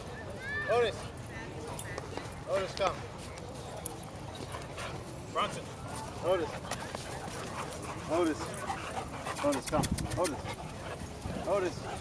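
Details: Soft-coated Wheaten Terrier at Blydenburgh Park on 1 January 2012. Short, high, bent yelping or whining notes come every second or two over a steady outdoor background hiss, with a few soft knocks.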